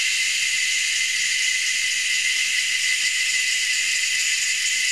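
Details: Cicadas calling in Anstead, Queensland, Australia, three or four species hidden high in the treetops; a dense, unbroken shrill hiss fills the whole stretch at steady loudness.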